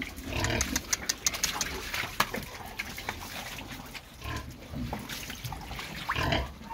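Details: Pedigree Pietrain pigs, boars and gilts kept on a UK farm, grunting and snuffling in short rough bursts amid clatter and rustling, with a steady background hum.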